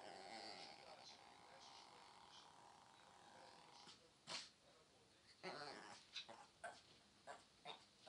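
A Pomeranian makes a long, wavering, talk-like whine, then a series of short, sharp yips.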